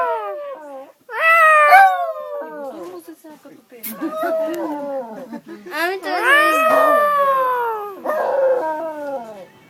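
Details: Dog encountered on a train heading to Varna, howling in a sing-song way. Wavering, drawn-out tones rise and fall in several long phrases, with some short yelps between them. People speak and laugh nearby.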